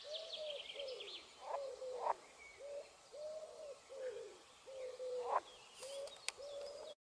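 Green frog croaking in a series of short, mid-pitched notes, each slightly arched.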